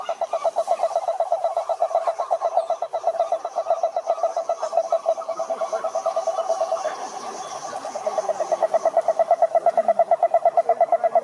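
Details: Chorus of croaking toads: rapid pulsed croaks run without a break, loosening and softening at mid-clip, then returning louder and more evenly spaced toward the end.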